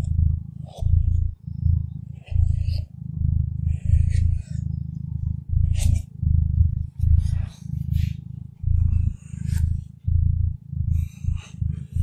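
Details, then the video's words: Contented cat's low rumbling purr in a relaxation recording, pulsing in even surges about every half second to second, with scattered sharp clicks and rustling noises overhead. "Relaxing ASMR with Cat Purring"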